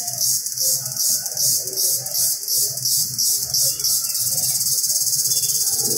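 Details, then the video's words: Indian cicada calling in the jungle: a loud, hissing, high buzz that throbs in quick pulses, about three a second, then settles into a faster, steadier drone near the end, with faint low rumbles beneath. "Noise of Indian cicada in jungle"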